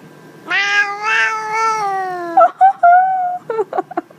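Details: Cat meowing in a way that sounds like "I love you"; a long, drawn-out, slightly falling meow, followed by a few short chirping syllables and a second shorter meow.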